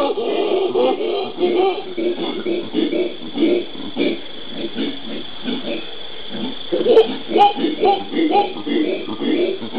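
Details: Howler monkeys of the genus Alouatta calling in the Brazilian Pantanal on 13 January 2011. Choppy, throaty hoots pulse in quick uneven bursts, a few clearer tonal notes near the end, with a faint steady hiss throughout.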